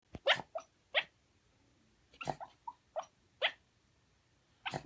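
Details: Shiba Inu, a dog formerly kept at home, asleep and making sleep sounds: short muffled whimpers and soft yips in irregular bursts, some with faint breathy snorts, separated by quiet pauses.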